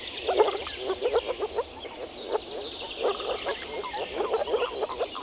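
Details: Male Moor frogs (Rana arvalis) calling through their vocal sacs while mating in a forest pond in early spring give soft, bubbling, low notes in quick repeated bursts, like air escaping from a submerged bottle.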